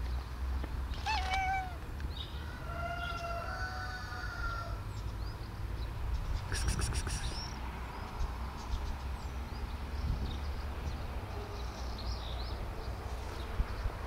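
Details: Sweet Bun the domestic cat keeps on meowing, unheeded by her owner: a short wavering meow, then a long, level, nasal meow lasting about two seconds, followed by clicks and quiet background hum.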